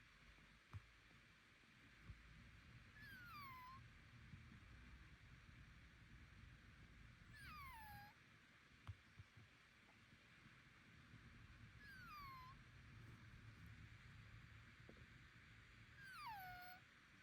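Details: [1, 'yes', 'strange call', 'Pet Bengal cat whose owner took it to the hospital over strange noises, wondering about illness, nasal breathing, congestion or allergy. It gives four drawn-out, falling, whiny calls roughly every four and a half seconds over a low indoor hum.']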